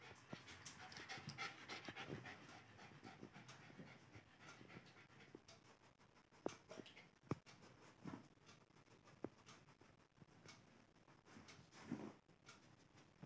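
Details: Alice, a Lhasa Apso puppy, at play: soft, breathy panting in quick uneven bursts over a low background hiss, with a few sharp clicks and knocks scattered through the recording.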